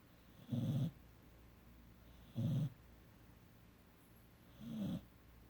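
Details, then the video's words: Three gravelly, low snores from sleeping 17-week-old puppy Emery, about two seconds apart, the last softer and more drawn out. "17 Week Puppy- Emery Snoring"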